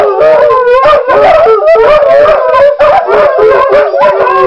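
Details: Dog howling concert on the first morning: loud, sustained wavering howls with stacked tones, overlapping voices rising and falling continuously, broken by a few short yips.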